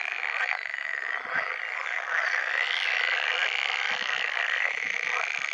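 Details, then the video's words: Breeding-season chorus of pool frogs, a steady wall of overlapping raspy, rattling croaks with no pauses and no other clear sounds. "Żaba jeziorkowa 🐸 Żaby zielone 🐸 Odgłosy żab Żabie gody"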